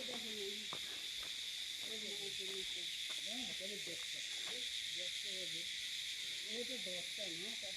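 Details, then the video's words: Pine forest near Kurseong, Darjeeling, in June, filled with calling crickets: an unbroken, piercing high-pitched ringing drone runs throughout, under a person's speech. "তোমরা পাচ্ছ কি না ঠিক আমি বলতে পারছি না, কিন্তু সম্পূর্ণ ঝিঝি পোকার ডাক।"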